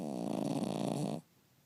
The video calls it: Stuart the Cavalier King Charles Spaniel Snoring